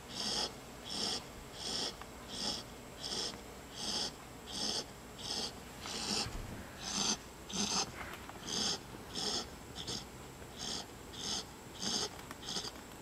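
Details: Marley, a pet puppy, snoring while asleep in an awkward spot he chose indoors; breathy, raspy snores repeat steadily about every two-thirds of a second, nearly twenty in a row, over faint room hiss.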